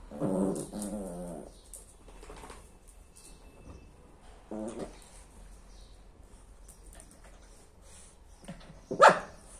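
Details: Lhasa Apso mother and daughter at play together. Low, throaty play growls open the sequence, with brief grumbles in the middle and quiet rustling between them. One sharp bark comes near the end.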